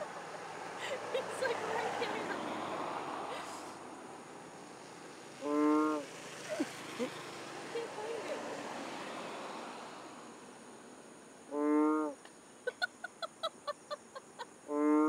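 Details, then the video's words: Loud frog in Borneo giving three short, rich, nasal calls, each under a second, spaced roughly six seconds apart, over a constant hiss of background noise with scattered faint clicks. "Loud Borneo Frog"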